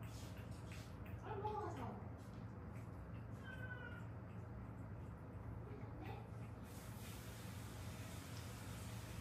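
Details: Haeundae stray cats, a mother and daughter rescued and later fostered, one bearing an old traffic-accident fracture; two or three faint, brief meows in the first four seconds, set against constant low-frequency hum.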